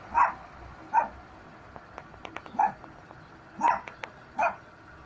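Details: Dog barks, five short clear ones spaced unevenly over a few seconds, with light clicks and ticks between them and a quiet background.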